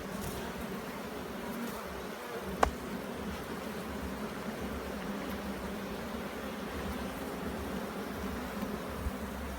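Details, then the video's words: A dense, continuous drone of bees fills a Jamaican hive during an inspection, broken once by a single crisp tap partway through. "JAMAICAN BEE HIVE INSPECTION"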